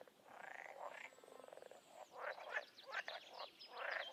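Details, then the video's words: Wild frog and toad chorus: a rapid rattling trill at the start, then louder throaty croaks in separate bursts, with a faint high whistle overhead. "Toads & Frogs in the wild"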